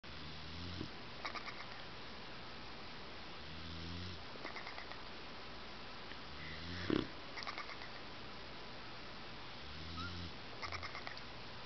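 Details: Sleeping bulldog snoring softly: low, rumbling snorts recurring about every three seconds, with faint rattling breaths between them over a steady background hiss.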